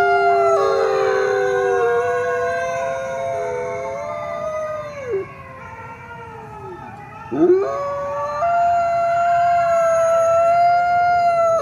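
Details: Several coyote voices howling together, with sliding, wavering pitches that bend downward, break off, then swoop up into a renewed steady note in the second half.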